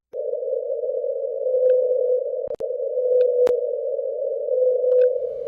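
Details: A lone whale, tracked for over 24 years, gives a sustained, even-pitched drone that pauses briefly, then resumes. It calls at a higher frequency than blue whales' 10–40 Hz, like a low bass note, and its calls resemble neither fin nor blue whale calls.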